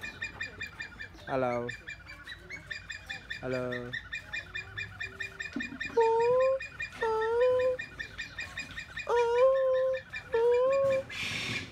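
A siamang gives loud, rising whooping notes with a few rough, pulsed barks, over a steady insect buzz.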